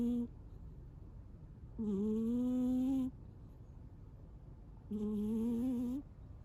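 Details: Munchkin cat sleeping and snoring loudly indoors: three drawn-out, tonal, nasal snores, each about a second long and slightly rising, recurring roughly every three seconds with quiet breathing pauses between.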